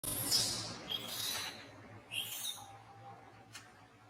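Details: Monkey at Angkor Wat Park crying while being disciplined by another monkey: two shrill, high screeches in the first second and a half, a third around two seconds, then fading to quiet with faint background hum.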